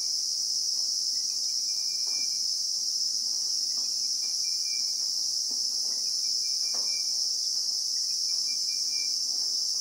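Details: Christmas beetle chorus in South African bushveld, recorded in real time: a steady, loud, high-pitched shrill drone holds without a break throughout, while faint brief whistled bird notes and soft rustles sit far beneath it.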